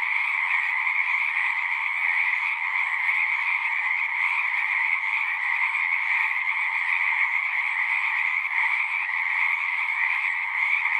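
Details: Many frogs calling together at a pasture pond, Zoom 6 recording: a constant massed trill, high-pitched and buzzing, with a lower humming layer beneath, unbroken for the whole stretch.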